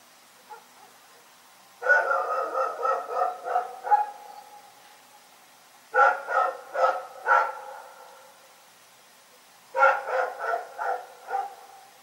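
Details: Night-time barking from a dog called Rex, delivered in three bursts of rapid barks, four to five per burst, with pauses of about two seconds between bursts.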